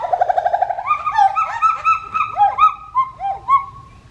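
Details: Pileated gibbon calling loudly: a fast run of short hooting notes, then clear whistled phrases that swoop upward and fall in loud bouncing hoots, several per second, clear of other sounds.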